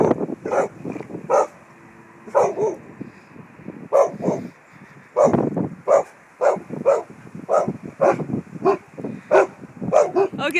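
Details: Hippo the Samoyed barking at a crane in action: loud, sharp barks in clusters, some doubled, repeated roughly every half second with short breaks, a few yips at the end.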